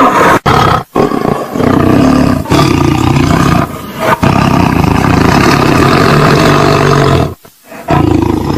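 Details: Harsh tiger roars follow one another almost without pause, a coarse rumbling growl that drops away only briefly before rising again.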